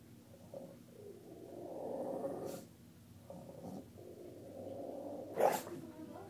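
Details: Bulldog Lucy reacting unhappily to her own reflection, taken for an impostor, with drawn-out throaty grumbles rising and falling over several seconds, broken by brief pauses and a sudden loud snort-like burst toward the end.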